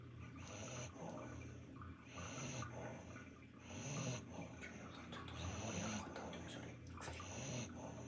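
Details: Pomeranian dozing off during a spa bath, snoring in soft, breathy rasps roughly every second and a half, with a steady hiss of running water or bath noise throughout.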